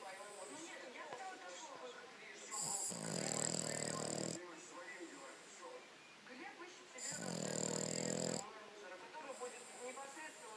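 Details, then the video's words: Five-month-old French Bulldog Cleo asleep and snoring, two drawn-out raspy snores about four seconds apart, each lasting over a second, over a continuous murmur of television speech. "Французский бульдог храпит"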